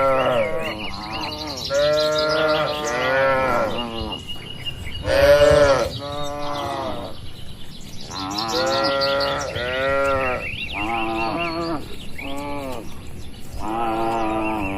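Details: A herd of tame cattle roaming open pasture calls again and again, overlapping harmonic moos every second or two, some rising then falling, against twittering birds and gentle wind.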